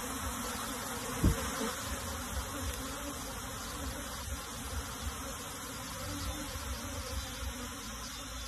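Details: Honey bee colony during relocation into a box: an even, heavy swarm drone, low-pitched and unbroken, with one sharp knock early on.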